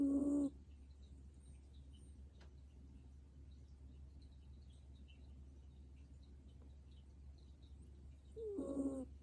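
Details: Old dog snoring while asleep, with a whistling tone at the start and another about eight seconds later, each brief and steady-pitched, and quiet low hum filling the gap.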